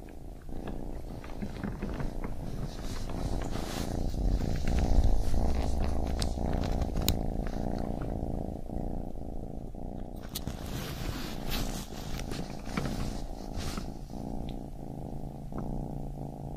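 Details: Baby kitten purring with a dense low rumble, overlaid by frequent sharp clicks and rustling handling noises, the purr swelling louder midway before settling.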